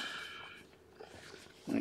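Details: Lethargic, underweight newborn female kitten, fed and warmed indoors after losing a little weight, gives one short, high, clear mew of about half a second, followed by quiet handling rustles and a soft thump.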